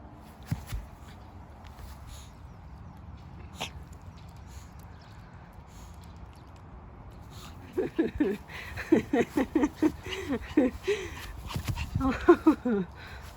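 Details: Pet Pomeranian Hendo, two years old on his birthday: after several quiet seconds, a burst of rapid, rhythmic high whimpers and yips that rise and fall, mixed with soft rustling and clicks.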